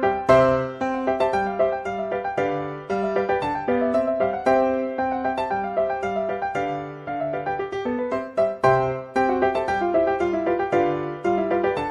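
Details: Gentle piano music plays throughout, with repeated chords and melody notes and no animal voices.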